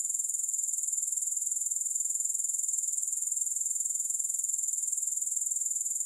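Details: Soothing grasshopper sound with no music: an unbroken, very high, rapidly pulsing insect trill, the beats evenly spaced and steady in loudness for the whole stretch.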